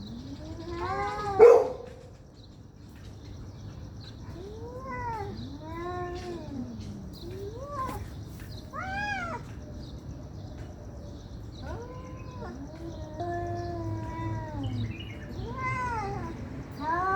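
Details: Two cats in an angry fight, yowling loudly for a long time. A sudden spat opens, followed by repeated arching caterwauls every second or two, some high and stacked, others lower and drawn out, over a constant hum.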